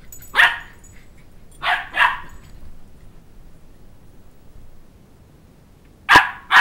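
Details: Two-month-old Sheltie puppy chasing a two-year-old around a coffee table for his stuffed toy dog head; sharp high barks at the start, a close pair near two seconds, then two more at the end, quiet between.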